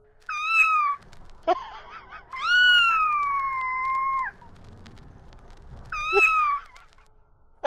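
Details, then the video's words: A female house cat answers her owner during their banter: a brief bright meow, a sharp click, a long level meow held for about two seconds, and a final short meow, over a low hum. "Smartest Cat Ever?! Funny Conversation and Criticism of My Loud Voice"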